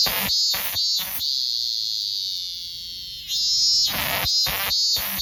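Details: Minminzemi (robust cicada) song: quick shrill pulses open, smoothing into a sustained high buzzing drone that then breaks back into repeated pulsed min-min-like bursts.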